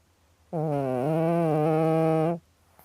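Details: Domestic cat snoring: one long, even, nasal drone lasting about two seconds, steady in pitch with a slight dip early on, rich in harmonics, in a quiet indoor setting.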